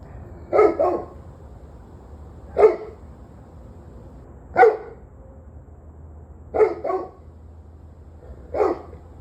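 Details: Domestic dog barking on 21 November 2023 at 7:06 pm, sharp mid-pitched barks arriving roughly every two seconds, several given as quick doubled yaps, over a low steady hum.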